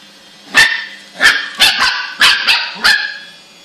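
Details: A Lhasa Apso barks six times in sharp, high, yappy bursts spaced unevenly while mopping the floor.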